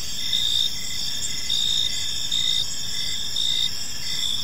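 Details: Crickets in a peaceful park at evening give high pulsed chirps in bursts roughly every second, above a continuous shrill layer of other chirpers and a noticeable low rumble.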